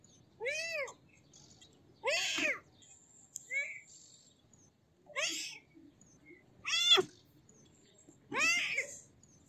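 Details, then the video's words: Kitten meowing in a repeated series of short arched mews, five or six calls spaced roughly every one and a half to two seconds, each with a bright stack of harmonics rising then falling, against a quiet background. "Baby Cat Meow Sounds / Baby Cat Call / Kitten Sounds / Kitten Call"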